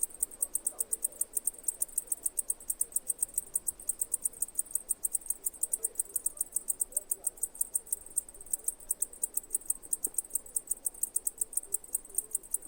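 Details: Cicada chirping: a steady train of sharp, high-pitched pulses repeated several times per second without pause, over a faint low background hum.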